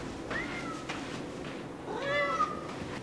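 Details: A Ragdoll cat, apparently Arya calling to her companion Teemo while exploring an unfamiliar apartment during a visit to their mother, gives two harmonic meows about 1.5 seconds apart, each rising slightly then sliding down, in a quiet indoor room.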